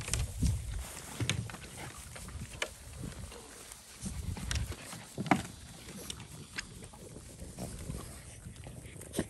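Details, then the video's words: Boston Terriers in hot South Texas eating ice cold chunks of freshly carved watermelon, some with rind left on, to stay cool; wet crunching and snorting bursts come at irregular intervals, with a faint voice in the background. "Boston Terrier Watermelon Party"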